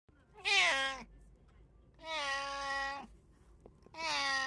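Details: Domestic cat, one of three house cats (brown tabby, Abyssinian and short-legged Munchkin), recorded 8 May 2024: three loud, harmonic-rich meows, each under a second long, spaced about one and a half seconds apart, over a quiet background.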